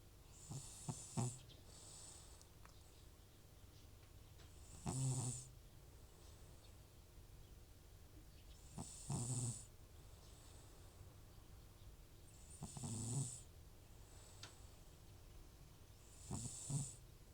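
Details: Old rescued cat Butcher, FIV positive, who snores loudly when off medication for nasal congestion, asleep at home. Heavy rumbling snores, each a low rattling inhale with a sharp hiss, recur about every four seconds in a still room.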